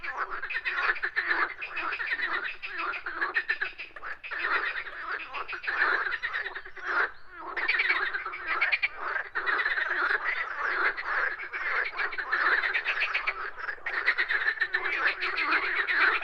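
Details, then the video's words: A dense chorus of frogs croaking in nature, continuous overlapping rattling pulses with no clear gaps, many callers heard at once. "Nature with frogs sound effects"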